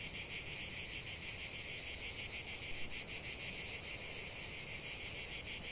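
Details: Cicada song in nature, an unbroken high buzzing chorus that swells and wavers slightly in intensity, with a brief dip near the middle.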